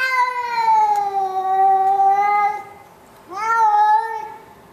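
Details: Complaining male house cat, shut in a carrier before a vet visit on 19 September 2011 at home in a condo: one drawn-out, slowly falling meow of about two and a half seconds, then a shorter rising-falling wail.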